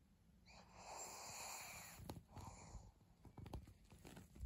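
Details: Maria the pug, a pet dog filmed on 3 January 2022, produces a long raspy wheeze followed by shorter snorting puffs and sniffs, with a sharp thump near the end.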